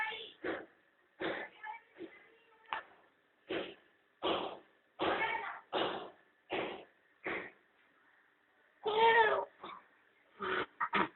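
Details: A cat and her kittens enjoying the sun at home; a rapid string of short, clipped mews and chirps, over a dozen in eleven seconds, with one longer louder meow near the nine-second mark.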